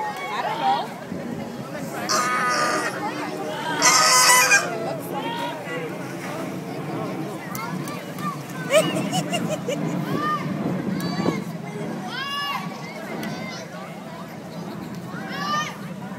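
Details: Harsh, honking howls from a sea lion at the Bronx Zoo rise and fall in repeated bursts, some drawn out and wavering, while people's voices and laughter carry underneath throughout.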